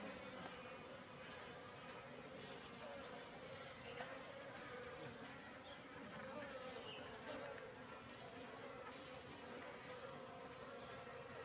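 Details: Wild Apis cerana honey bees entering a bee trap box left out for three months, giving a continuous, even buzzing drone of many insects throughout.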